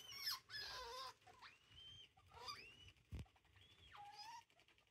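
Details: Degus being introduced to each other give high, squeaky chirps that swoop up and drop down, four or five in quick succession, with a brief knock and faint rustling between them.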